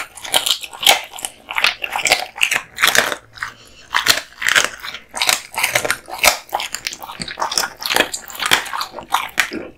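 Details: Male American Bully named Kotetsu gnawing duck spine jerky given as a present, close up in a small room; rhythmic crunches roughly every half second, bright crackling bites separated by brief quiet gaps.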